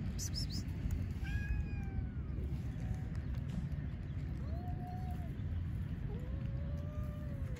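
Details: One-eyed stray cat in Istanbul, Turkey, seeking attention as other strays eat: clear drawn-out meows, the first gliding down, later ones arching up then falling, set against constant low city hum.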